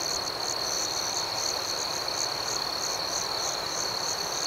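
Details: Crickets at night in an outdoor setting, a steady high-pitched ringing chorus with a second, higher layer of soft pulsed chirps repeating roughly three times a second, continuous with no other sounds.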